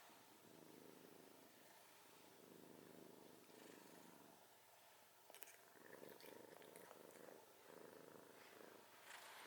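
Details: Domestic cat snoring, drawn-out raspy breaths that swell and ease off, followed by a few light clicks and rustles in a quiet room.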